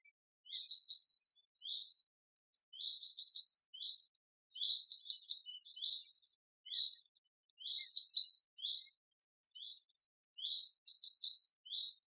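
European tree frogs giving loud, rapid, rattling bursts of high-pitched pulses, repeated every second or two.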